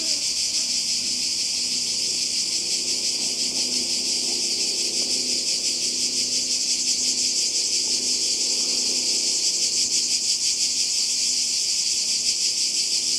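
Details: Cicadas calling beside the sea in Croatia, summer 2020, their shrill buzzing drone constant and even for the whole stretch, with faint low background sounds and possible distant voices.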